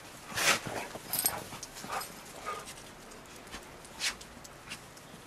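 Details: In snow, the rescue dog pair Roe and Bella (Shar Pei and smaller Bernese mountain dog–pit bull mix) wrestle; a loud snorting growl opens, followed by softer huffs and a sharp burst near four seconds.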